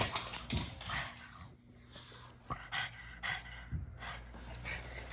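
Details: A pug's funny noises, here a series of short snorting, panting breaths roughly every half second to second, separated by quieter gaps, with some background hum beneath.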